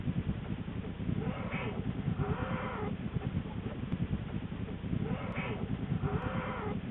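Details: Wild female American black bear in her den in January 2013, shortly before giving birth to two cubs, after rearranging her bedding. Low, breathy paired grunts with arching tones recur roughly every three seconds over a steady low rumble.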